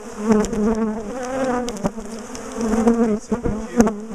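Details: Bees from a big top bar hive colony, defensive toward their owners, as the hive is taken apart and moved; loud wavering hum of many bees with fly-by drones and sharp knocking sounds.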